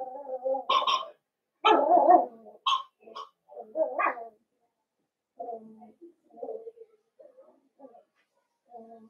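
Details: Blenheim Cavalier King Charles Spaniel puppies, a litter of five born at New Year, in their puppy pen give a string of high, yappy barks and squeals. Loud bursts come early, then softer, shorter yips trail off with quiet gaps between.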